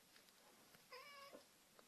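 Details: House cat indoors making a brief, steady, tonal meow of under half a second, with faint thumps and room noise around it.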